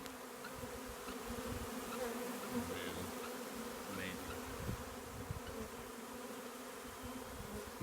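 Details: A honeybee swarm moving into an empty hive in March hums with a steady, dense, low buzzing from countless wingbeats; the bees are described as very friendly.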